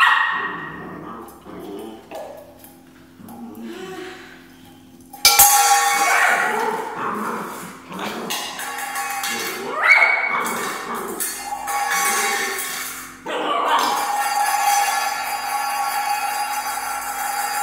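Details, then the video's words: Three-month-old Border Collie puppy barking and yipping at his bowl while playing with it, short sharp bursts in irregular runs, over background music with some human speech. "barks at his bowl"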